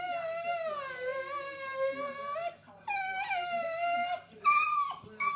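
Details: A female English Bull Terrier whines in long, high, wavering tones broken by brief pauses; the owner thinks she is hungry, as she often does this when wanting food or attention; English Bull Terrier.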